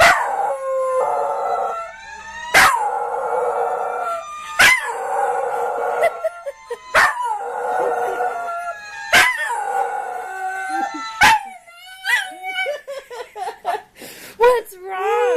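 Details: Dog howling in response to a fire truck siren: long, drawn-out wavering howls come in bursts about every two seconds, broken by sharp clicks, and end in a run of shorter rising yips and whines.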